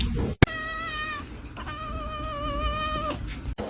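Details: Pet cat holding a long, steady, tonal meow broken by a brief gap, with sharp clicks at the start and end and faint room noise behind.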